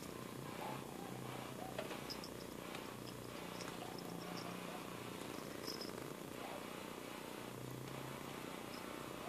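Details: Continuous rumbling purr from a domestic cat, soft and evenly pulsed, with a faint low steady hum in the background and scattered tiny clicks.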